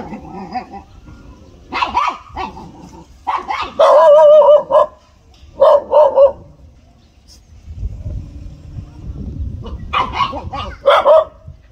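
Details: Pet dogs barking in short, harsh bursts grouped into clusters near two, four, six and eleven seconds, some with a tonal, yelping edge, separated by quieter gaps with a low rumble of background noise.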